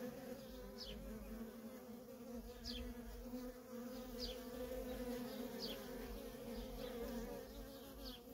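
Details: Nonstop buzzing traffic of worker honey bees at a feral colony: a dense, steady drone with strong bands near 250 and 500, plus brief high chirps repeating about every second.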